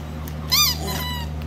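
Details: Female German Shepherd Kayla during Christmas gift opening; one short, arched whine rising then dropping, trailed by a fainter thin whimper, over a constant low electrical hum indoors.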